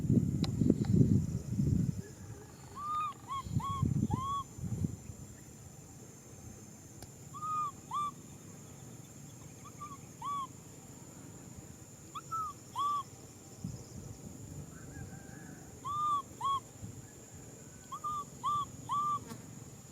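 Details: Baby macaque seeking a hug, repeating short, bent, whistled cries in clusters of two or three throughout, with heavy low bumping noise at the start and a faint constant high tone.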